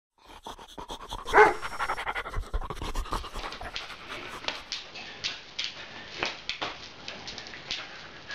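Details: Female Beagle puppy panting while fooling around in play, which routinely ends with her mounting people; rough, breathy bursts come in quick irregular succession, with one louder huff early on and scuffling movement throughout.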